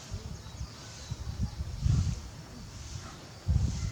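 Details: At Tobe Zoo, Japan, on 5 October 2021, the male lion Barry calls toward the backyard for his missing companion Daisy. Two short bursts of deep, rumbling grunts stand out from a low background.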